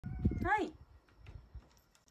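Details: Rescued male domestic cat, born spring 2019, at home in Shiga Prefecture, Japan; it lounges around the house and returns when called. A single rising-then-falling harmonic meow follows a woman's voice, with quiet room noise afterward.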